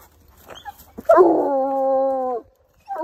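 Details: Hunting coonhound tracking a scent during a walk gives a steady, rich harmonic howl of well over a second that starts with a rough break and holds level, preceded by soft snuffling sounds and followed by another howl beginning.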